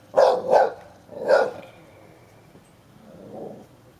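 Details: Ten-year-old Hovawart guarding his toy while a one-year-old American Staffordshire Terrier tries to stir him up in play; three sharp barks in the first 1.5 seconds, then a quiet stretch and a softer low vocal sound near the end.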